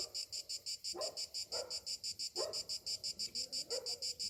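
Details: Cicadas singing on a summer morning: a high, buzzy pulsed drone throbbing about three times a second, steady and unbroken, with a few short lower barks in the background.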